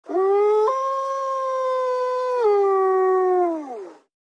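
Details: A male coastal wolf, met unexpectedly, gives a long, smooth howl that steps up, holds steady, then sags downward, asserting dominance.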